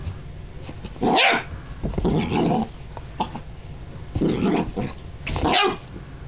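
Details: An excited Golden Retriever puppy, thrilled by his new brush and wagging his tail, gives short, high, yappy barks in scattered bursts.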